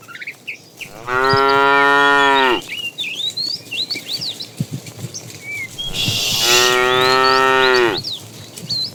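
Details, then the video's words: Morning in a herd of tame cows roaming about for food: two long, level moos, each about one and a half seconds, four seconds apart, with birds chirping steadily in the background. "Funny cow sounds"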